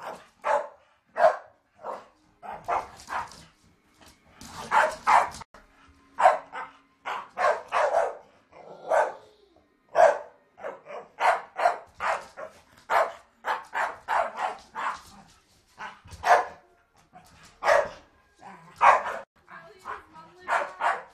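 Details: Pet Staffordshire Bull Terriers play fighting, giving a long run of rapid, harsh barks and yaps, several per second at times, with brief pauses and scuffling between bursts.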